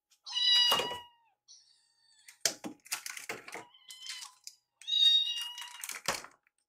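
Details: Rescue kittens feeding, one curious about the other's meal. Loud, high meows at the start and end, with crunching, clicking eating sounds and dish taps in between, indoors.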